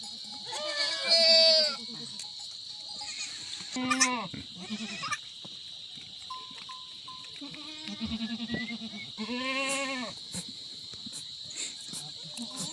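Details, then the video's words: Himalayan goats on a village goat farm in forest in Uttarakhand, India, producing separate trembling bleats spaced a few seconds apart, some rising then falling, over a continuous high-pitched insect buzz and a single cowbell ring. "himalayan goat"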